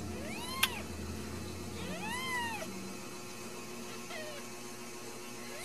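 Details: Ragdoll kittens raised indoors without cages at a cattery in central Kansas; several rising-falling meows with clear harmonics, about four across the stretch, over a low steady hum.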